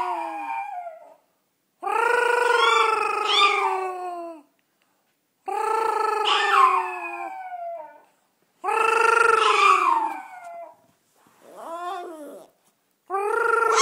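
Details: Yorkshire Terrier howling along with its owner, singing at home. Series of drawn-out, quavering howls, each about two to three seconds with bending pitch and cracking ends, separated by brief silences, plus a softer whimpering note.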